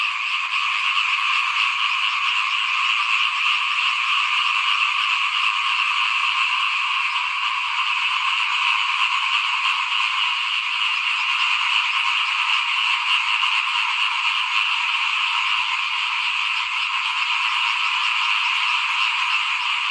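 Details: In front of a house at rice sowing time, 2021, massed frogs call without letup; a steady, rattling chorus of rapid overlapping croaks fills the whole stretch.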